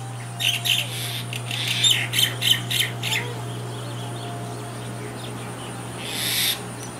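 A young mongoose gives a quick run of high, raspy squeaks over a steady low electrical hum.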